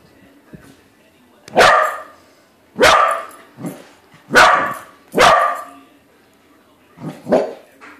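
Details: Corgi barking at a balloon version of itself, five punchy barks roughly a second apart with a small huff between, ending in a quieter double bark; a faint steady hum in the background.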